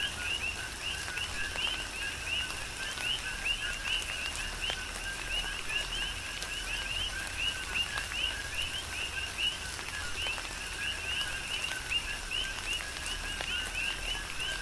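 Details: Coqui frogs calling as a dense chorus during a tropical rain shower on the Big Island of Hawaii: overlapping two-part chirps, a lower note then a higher upswept one, repeated steadily while rain patters and drips throughout.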